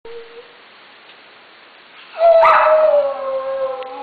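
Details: Two dogs, alto Kuki and soprano Krim, in a synchronized howling duet: after two seconds of near quiet with a faint low tone, a loud howl rises in, then slides slowly downward and holds as a drawn-out wavering note.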